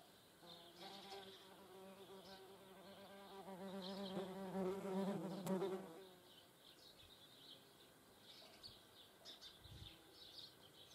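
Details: Low, harmonic-rich humming from German wasps at a feeding place. It swells gradually for about five seconds, peaks, then stops abruptly. Faint, high bird calls continue behind it and after it.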